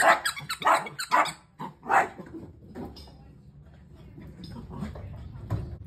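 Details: Miniature dachshund puppies April and Churro at play: a quick run of four or five harsh, rough barking growls packed into the first two seconds, then lower rumbling growls and scuffling as the romp continues indoors.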